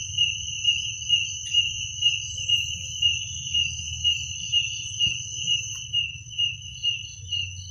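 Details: Night chorus of crickets, two continuous high-pitched bands trilling evenly, swelling roughly twice per second; faint low rumble underneath and a brief click.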